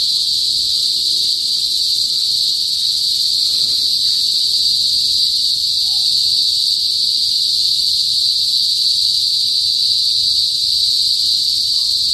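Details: Cicadas in a northern Philippine province, usually heard before sunset, give a steady, shrill, high-pitched drone that never lets up; the song is a mating call.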